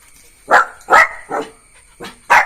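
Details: Jack Russell Terrier puppy named Neo barking: five short, sharp barks in about two seconds, each a bright burst with mid-range energy, spaced roughly half a second apart with brief quiet gaps; a faint steady high tone runs underneath.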